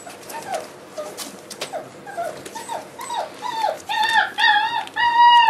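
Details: Whimpering Boerboel pups, four weeks old, kept indoors with their mother Aston: a steady series of short, downward-curving whines about twice a second, growing louder and longer toward the end as they turn into clear, ringing yelps.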